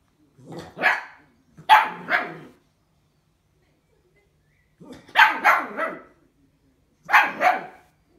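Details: Bull Terrier puppy during its first bottle feeding gives loud paired yelping barks in three bursts, separated by a few seconds of quiet.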